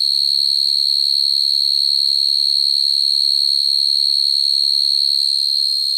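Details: Calling field cricket at night, singing for females, a sound used to trap crickets; a sustained, bright, steady-pitched trill fills the stretch, with a faint overtone and a soft low hum at the start.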